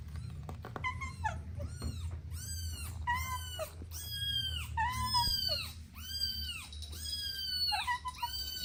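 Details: Sweet kittens playing together with their mother cat and two siblings, calling in a steady run of high, arched meows, roughly one or two each second, over a faint low hum.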